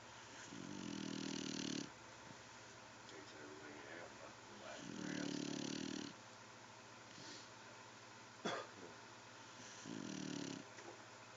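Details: Pet dog asleep and snoring like a human, long rasping low snores about every four seconds, each lasting over a second, with quiet breathing between.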